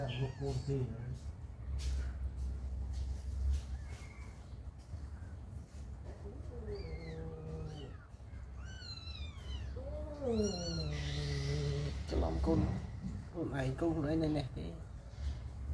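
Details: Mother cat staying close to her newborn kittens, giving a run of high, arched meows that rise and fall, several clustered near the middle, with a person talking in the background throughout.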